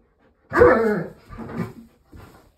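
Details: Female pet dog indoors, scared of a scarecrow Halloween decoration, barks at it. One loud harsh bark is followed by two softer, shorter barks over about two seconds.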